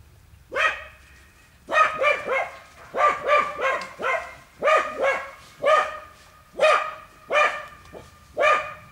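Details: Wild boar work in a training pen, dogs barking steadily in clustered volleys of two or three rapid barks, ringing and harmonic, continuing through the whole stretch.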